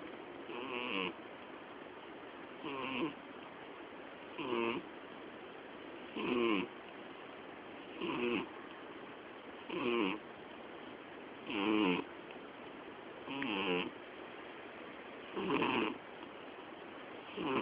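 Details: Miyabi, a female house cat nearly twelve years old, snores heavily in sleep, loud enough to drown out the television; buzzy, harmonic snorts repeat steadily about every two seconds, each short and rough, against faint room hiss.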